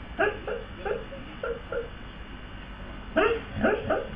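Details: Sleeping dog dreaming, with snoring and running movements: short high-pitched yips and whimpers in two bursts, about five quick notes early, then a tighter cluster of three or four near the end, over low background hiss.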